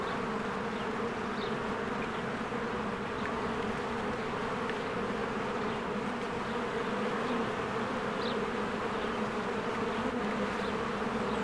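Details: Honeybees in spring streaming in and out of their hive among blooming flowers: a dense, steady low buzzing hum with strong bands, unbroken throughout, with a few faint, brief high bird chirps above.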